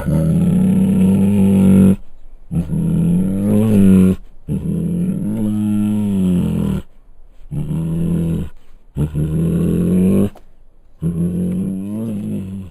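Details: Captive Bengal tiger at Luján Zoo roaring in a series of deep, moaning, growly bursts, each lasting one to two seconds, separated by brief silences, with about six calls rising and falling in pitch.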